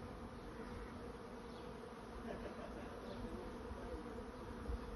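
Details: Honey bee swarm searching for a new home: a dense, steady droning hum with a low, even buzz and no breaks, filling the whole recording.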